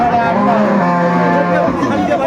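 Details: Milking cow with a calf for sale at the Aftabganj market in Dinajpur, 25 August 2024, lets out one drawn-out, even, low-pitched moo of over a second, with market chatter and talk around it.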